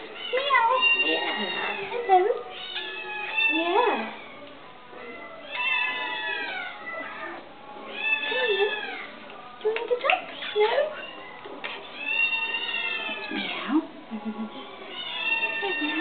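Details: Vocal pet cat meowing again and again, long wavering cries with bending pitch, some short and clipped, mixed with a woman's chatty voice greeting it.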